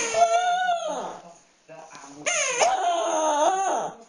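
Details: Indoors, the dog Fluffy cries as he plays with his stuffed animal: two whining cries with a short pause between, the second starting with a sharp jump and wavering unsteadily.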